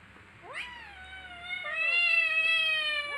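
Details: Kittens playing with each other, one drawn-out meow rising sharply then holding level, a second meowing voice overlapping and swelling louder in the second half.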